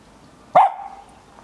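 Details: Luna, a female Tibetan Terrier in the garden, gives a single sharp bark that trails off into a brief fading tone, with quiet surroundings before and after.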